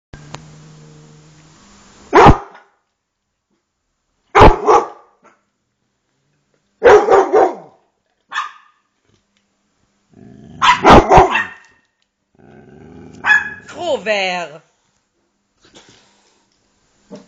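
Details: Dogs boarding at a kennel in Jerusalem, Israel, while their owners are on holiday: loud, sharp barks come in irregular bursts a few seconds apart, with a whiny, sliding call near the end and a low hum at the start.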